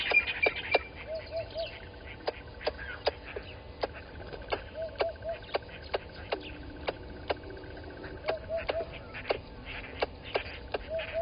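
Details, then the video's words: Squirrel scolding a water monitor lizard at the Gowrie dam waterhole, Djuma Game Reserve, Sabi Sand Wildtuin, South Africa, 11:45 on 10/04/20; steady series of crisp clicks roughly every half second, with repeated soft three-note tonal calls nearby. "Squirrel alarming at Water Monitor Lizard"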